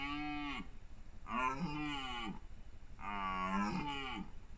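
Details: Red deer stags during the 2021 rut, with bulls in full courtship: three drawn-out harmonic roars, each lasting about a second, the first falling and the later ones rising then falling, separated by short pauses.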